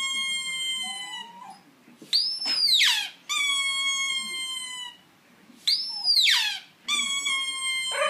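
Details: An Italian Greyhound "singing": long, high, wavering howls with sharp rising and falling yelps between them.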